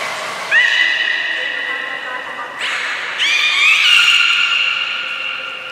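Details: Loud beluga vocalizations recorded in training at Port of Nagoya Public Aquarium, 11 July 2020, with belugas Taanya, Nana, Mirai and Niko: an upward-sliding, squeaky tonal call held for two seconds, a short noisy burst, then a longer wavering, whinny-like call.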